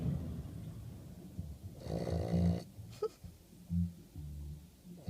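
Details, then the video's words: English Bulldog named Otto snoring while asleep indoors: a long, rasping, low rumble of breath about two seconds in, a shorter snort near three seconds, then another deep snore near four seconds, with soft breathing between. "bulldog inglés roncando"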